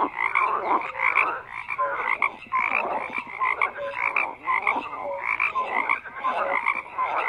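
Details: Croaking frogs fill the recording with overlapping raspy calls and scattered brief piping notes, loud and unbroken from start to finish.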